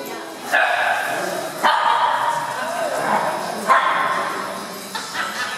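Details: Several dogs, among them an Italian greyhound, play at an indoor dog park, recorded on a Lumix camera; sharp single barks ring out about every one to two seconds over echoing hall noise and a faint murmur of voices.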